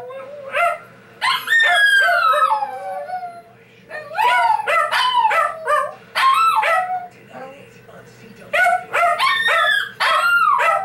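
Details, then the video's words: A loud 12 lb Shih Tzu howling in long wavering bouts, the voice sliding down in pitch and then rising again, repeated several times with short pauses and a faint low hum underneath. "One loud howling 12 lb Shih Tzu"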